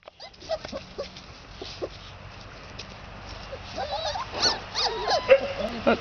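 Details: Three-and-a-half-week-old red Standard Poodle puppies outdoors, giving soft scattered whines and squeaks that grow denser and louder toward the end, with a woman speaking gently nearby.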